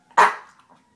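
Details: Three-year-old pet beagle singing along with a passing fire engine, heard here as one short sharp bark-like yelp that quickly fades.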